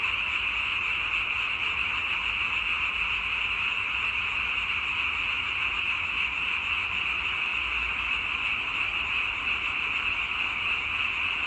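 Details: Many frogs calling at once form a continuous, shimmering high drone of blended croaks that holds an even level from start to finish, with no pauses or other sounds.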